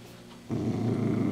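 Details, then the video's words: Dachshund eating a crunchy handmade treat indoors; after half a second of quiet, a low, rough, steady growl begins and continues to the end. "오도독 수제간식먹는 닥스훈트"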